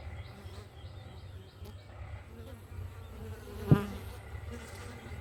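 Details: Morning buzz of bees at a hive, a continuous low hum with a brief louder click partway through and faint bird calls behind.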